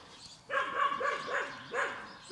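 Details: Collie puppies aged ten weeks, X litter from the Prignitzerflur kennel, in a large outdoor enclosure. A rapid run of five or six bright, yapping barks comes in two bursts, with a brief pause between.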